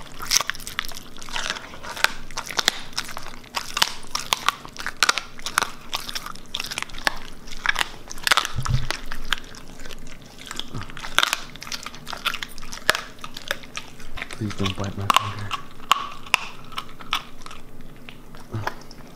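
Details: Siberian Husky crunching raw meat and bones as a reward, indoors: rapid continuous biting and cracking, steady grinding crunches packed closely, with a couple of brief low thuds midway and near the end.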